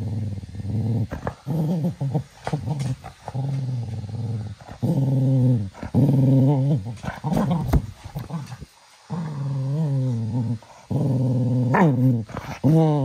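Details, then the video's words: Small cocker spaniel growling during energetic evening playtime at 10 pm indoors, a series of low rumbling growls with wavering harmonics in bursts of one to two seconds, with brief gaps and soft handling noises. "Evening playtime for our little cocker spaniel"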